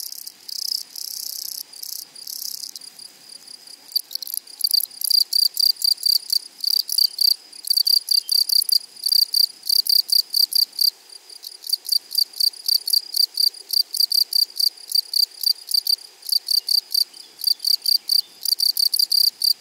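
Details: Meadow grasshoppers singing: dense rasping bursts at first, then a long run of evenly spaced short buzzy pulses, roughly three per second, high-pitched and clear over a quiet background.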